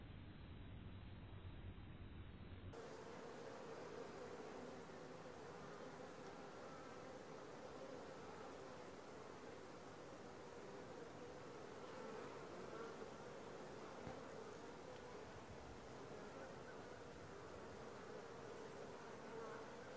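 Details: Honey bees at the landing board of a Langstroth hive, four days after being moved from a nuc into it. A steady, dense droning hum holds one mid pitch throughout, following a brief muffled opening.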